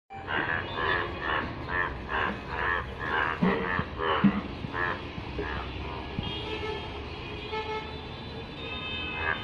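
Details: Yellow frog calling in rainwater: a run of harsh, buzzy croaks repeated about twice a second. The croaks fade after the first few seconds into a steady low background rumble.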